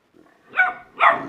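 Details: Dogs in a barking contest; two short, sharp barks close together, the second louder and slightly longer, with a soft low rumble just before them.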